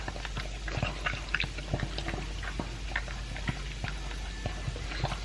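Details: A two-year-old pug, Elvis, chews his dry food with a chunk of beef. Short crunchy snaps and moist clicks come in a steady, irregular stream over a low indoor hum.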